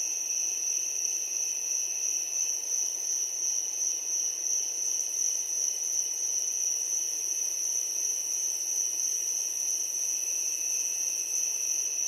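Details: Just before sunset a crowd of crickets keeps up a seamless, high, metallic chirring drone with a faint lower band, unvarying in volume from start to finish, otherwise quiet.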